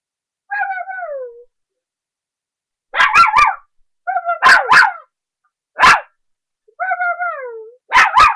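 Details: A 3½-month-old puppy playing and barking up a storm: descending whines alternate with short, sharp barks in quick pairs and triplets, with silent gaps between bursts.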